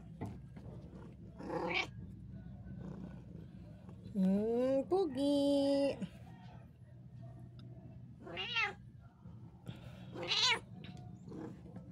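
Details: Domestic cat indoors giving several drawn-out harmonic meows: a long wavering one in the middle, then two shorter rising-falling mews, with a woman speaking softly in the background.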